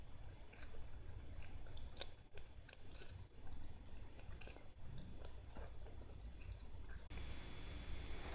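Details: Lettuce being eaten by a Siamese cat: repeated dry crunching clicks at an uneven pace, ending with a hissy rustle near the close.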